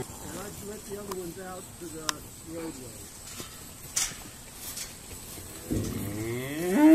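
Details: Irish Dexter cows calling on a noisy sorting day at Stone Meadow Farm; short low moos with stacked harmonics, several overlapping, a louder rising bellow near the end, clatter and knocks between calls.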